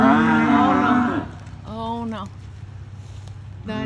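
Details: On Thanksgiving Day, 25 November 2021, in Vina, Alabama, USA, a cow in a herd with newborn calves gives a long, rough, low moo, then two shorter grumbling calls about two seconds apart, upset by a visiting cattle egret; other cattle faintly heard.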